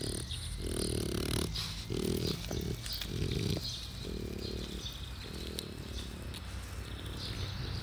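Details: Old French Bulldog, 12 years old, giving low, rough snorting grunts in uneven bursts about every second, separated by short pauses, over steady indoor background noise.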